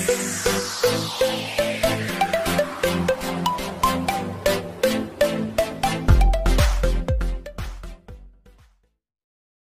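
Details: Electronic dance music with a falling synth sweep and repeated plucked notes over a pulsing beat, fading into silence near the end; no animal sound.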